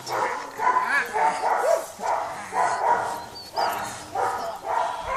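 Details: A 4-month-old Belgian Malinois puppy barks in a steady series of short, harmonic yaps about once a second, with voices in the background.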